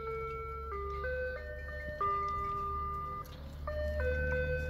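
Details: An ice cream truck's tinkling electronic melody plays in stepped tones over a low traffic rumble. No animal voices can be picked out.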